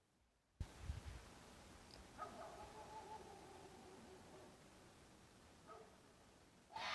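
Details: A red fox (Vulpes vulpes) gives a drawn-out, wavering, mid-pitched cry, a mating call made during the mating season to attract a mate.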